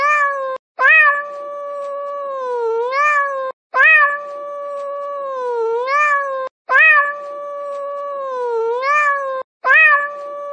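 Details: A long, plaintive cat yowl repeats about every three seconds. Each one opens with a quick upward swoop, holds level, sags, and lifts again at the end. There are roughly four cycles with clean, quiet gaps.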